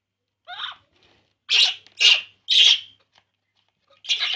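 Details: Baby monkey Poo drinking milk and crying: a softer opening squeak, then three loud, harsh, high squeals about half a second apart, and a final shrill cry after a short pause, in near silence.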